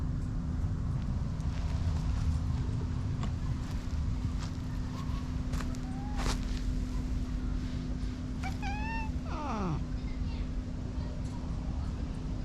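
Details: Tabby cat described as aggressive meeting a friendly ginger cat; a few short rising meows near the middle, then a downward-sliding wailing call, over steady low hum and background noise.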